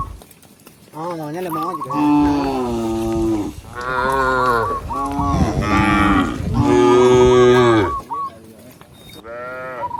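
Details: Long, loud, rich moos follow one another almost without pause as a village shepherd walks his tame cows back to the pen, with a brief short chirp near the end.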